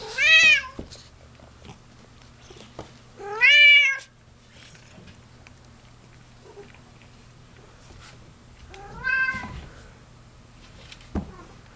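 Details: Two domestic cats playing indoors in a small room after eating; three loud, wavering meows with strong harmonics at roughly three- and five-second gaps, plus faint thumps and small knocks in between.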